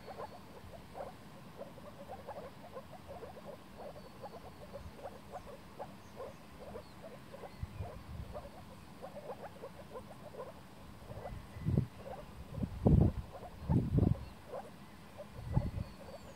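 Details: Moor frogs breeding in spring on a forest floodwater in Warmia, 2017: soft, low, bubbling calls repeated rapidly from several frogs, with a few louder, deeper muffled bursts toward the end.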